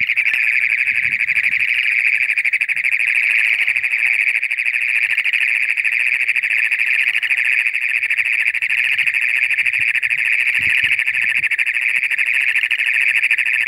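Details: Toads give a loud, continuous high trill that drones on without a break as a mating call, heard in toad season as moisture arrives.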